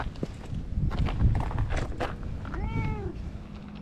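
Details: Feral stray cat that comes up to be petted on seeing a familiar face, filmed with a GoPro HERO8; one clear falling meow near the end over low rustling handling noise and footsteps.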